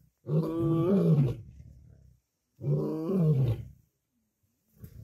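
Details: Lions, lionesses and cubs squabble over food on a kill, with the dominant males feeding first. Two loud, tonal snarls, each about a second long with a bending pitch, trailing into low growls.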